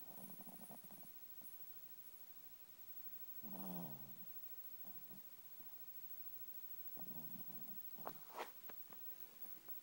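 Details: Swaddled in a blanket and asleep in his bed, Ollie the chihuahua gives several low, wheezy snores spaced a few seconds apart, with faint snuffly breaths between them in a quiet room.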